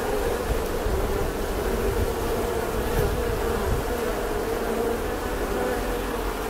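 A bee gives a steady, droning buzz that holds an even pitch throughout.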